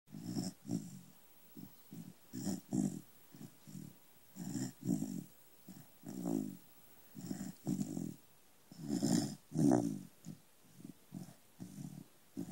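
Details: A little corgi sleeping indoors snores in a steady run of short rough breaths, each low and grating, roughly two per second, with brief pauses between bursts; the room is otherwise quiet.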